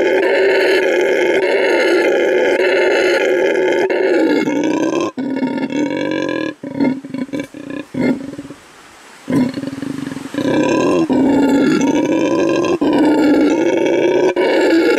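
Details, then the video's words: A male red howler monkey, rescued from animal trafficking and newly housed at a refuge in Bolivia, gives a loud, deep, roaring howl broken by brief pauses, marking his territory. "Red Howler Monkey Howls to Mark His Territory"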